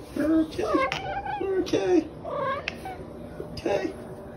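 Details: Female house cat famous as the OK Cat, whose meow resembles the word "okay", repeats clear two-note meows about once a second in a small room, overlapping human speech.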